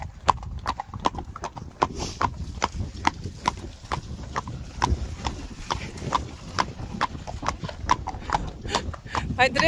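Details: Continuous clip-clop from Friesian horses, brisk sharp hoof knocks repeating evenly over a low rumbling background, with a person's voice starting near the end.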